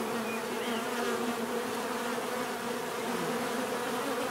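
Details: Many bees buzzing together in a continuous, even drone, layered hums wavering slightly in pitch, a brief higher whine of one insect passing near early on, no other sounds.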